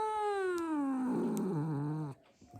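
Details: Calico cat being mean, indoors: a drawn-out harmonic yowl that slides steadily downward in pitch for about two seconds, roughening into a low growl near the end before cutting off, with two faint clicks.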